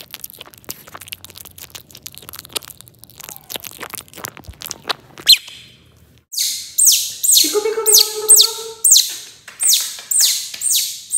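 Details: Baby otter eating fish for the first time: after a stretch of quiet crunching and rustling, a burst of loud, high, sharply falling squeals repeated in quick rhythm, some with lower harmonic-rich squeaks underneath.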